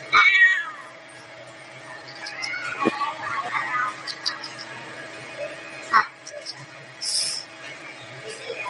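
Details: A cat gives a sharp, loud meow at the very start, followed by quieter, murmuring sounds and a few brief noises against a constant low hum.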